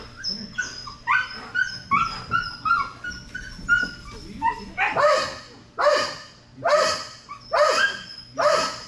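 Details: Belgian Malinois Strider at dock diving practice for Fetch-It air retrieve: a run of excited high, whining yelps gives way to five loud, harsh barks spaced just under a second apart.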